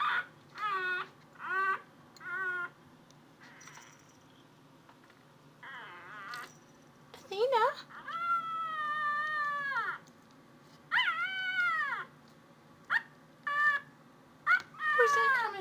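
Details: Domestic cat meowing while searching for a noise: a series of short harmonic meows, then one long drawn-out wavering meow near the middle, followed by more clipped meows, with a person speaking softly to it between calls.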